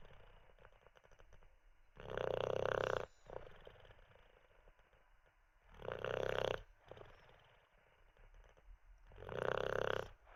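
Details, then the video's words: An Olde English Bulldogge called Teddy, not yet ready to get up after treats and a wee, snores heavily: three long, rattling bursts at roughly three and a half second intervals. "Six minutes of a snoring olde English bulldog"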